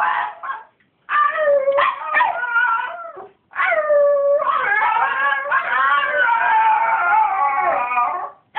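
A Miniature Schnauzer sings in long, wavering howls with sliding yips to wake its owner early.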